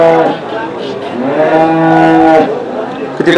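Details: Desi cow at the Saturday cow market in Chakan, 3 January 2026, giving a long steady moo of about two seconds with a rich harmonic stack, ending abruptly; a man's voice and market bustle faintly behind.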